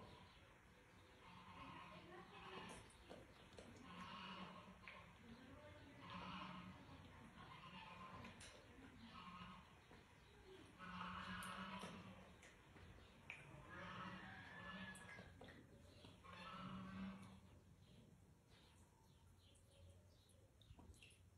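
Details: A young, blind, orphaned wild boar in rescue care, active and playful, gives drawn-out, nasal, moaning calls, repeated roughly every two to three seconds.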